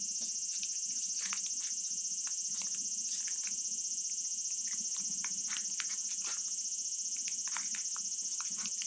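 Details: A loud, dense wall of cicada buzzing from a real Japanese summer recording, steady and intense, speckled with rapid ticking pulses about three to four per second.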